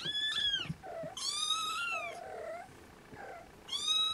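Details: Restless Siamese kittens with their napping mother Siamese cat: loud, bright, sustained meows, a long falling cry then a drawn-out wavering one, softer low mews between and a final rising meow at the end.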